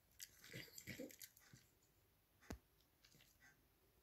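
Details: A Cavalier King Charles Spaniel chews noisily on a candy-cane-shaped dog chew bone, with irregular crunching and gnawing sounds.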